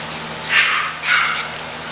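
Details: English bulldog puppies offered for sale at Christmas: two short, high-pitched yipping barks about half a second apart, with steady low hum in the background.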